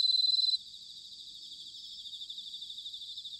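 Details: Bell cricket song, autumn, Sanuki, Chiba, Japan: a loud, ringing pulsed trill for half a second, followed by softer, evenly throbbing trills from nearby crickets.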